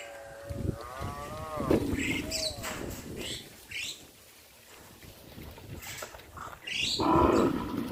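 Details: Cows led by a farmer into the pen at evening; one rising then falling moo early on, followed by quieter rustling and a louder low bellow near the end.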